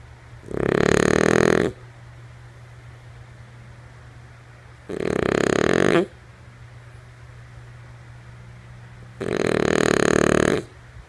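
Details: Female French Bulldog Lulu snores in her sleep, three coarse, buzzing inhalations about a second long, repeating every four seconds or so, quiet between apart from a faint low drone.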